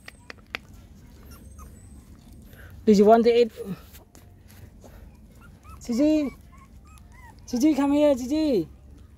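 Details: Mother dog GiGi nursing her six puppies; three separate whimpering whines, each a tonal, rich-toned cry that swells and then bends downward, spaced a few seconds apart over a quiet, low background hum.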